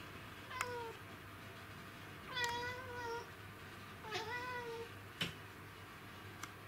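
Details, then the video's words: Black cat Kuro after an insect in hunting mode, 20 August 2017: three meows spaced about two seconds apart, the last two drawn out and falling slightly, with sharp clicks between them. "Kuro wants to get insect / ハンティング・モードなクロさん 20170820 meow cat 猫 クロネコ"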